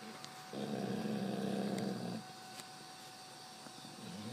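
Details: Dog Eve asleep on a bed lets out one long, low, rasping snore lasting about one and a half seconds, followed by quiet breathing indoors.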